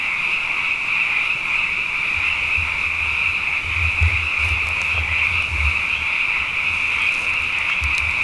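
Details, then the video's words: Many frogs chorusing at night after two wet years in a row, a dense, unbroken high trilling wall of sound holding steady throughout, with faint low thumps underneath. "Frog Songs: Na Mele o nā Paloka"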